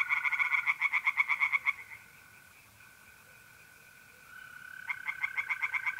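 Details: Night chorus of tree frogs at a pond in North-East Italy in mid-April: a quick series of loud pulsed croaks, fading into a lull, then resuming, with trilling mole crickets continuous throughout.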